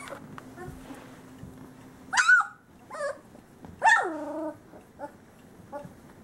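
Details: Young male Great Pyrenees from Bella and Ranger's summer 2013 litter; two loud yelping cries that break and slide downward, a few seconds apart, with softer squeaks between and a faint hum early on.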